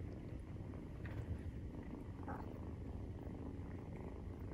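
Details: Maine Coon purr recorded while nursing, 43 days after birth; a deep continuous rumble with a slight swell near the first second and a soft rustle midway.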